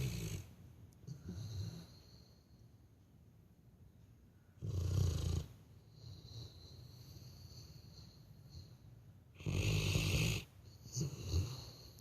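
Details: Labrador Retriever asleep, snoring the way people do: two deep, throaty snores about five seconds apart, each roughly a second long, with soft wheezy breathing and quiet stretches between them.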